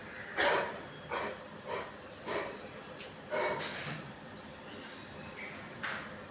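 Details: Rottweiler indoors reacting to suspicious strangers outside the door: a string of faint, muffled barks with a harmonic ring, spaced unevenly about once a second over a low hiss.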